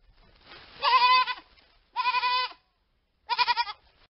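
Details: Hogget bleating three times in close sequence, the first longest with a breathy lead-in and strong trembling quaver, the next two shorter and pulsing, in an otherwise silent setting.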